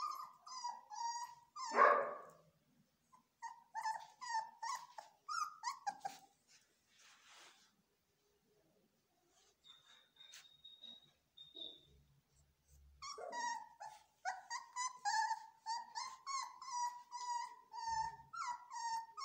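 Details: Screaming from Belgian Malinois puppies during training, a dense string of high, whining yelps with harsh rasping cries, a quiet stretch in the middle with faint rustling, then the yelping resumes in rapid bursts.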